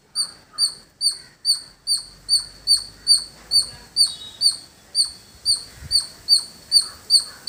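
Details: Squirrel near a village home calling with a persistent series of piercing high chirps, regular and evenly spaced about twice a second, with a soft low rumble in the background.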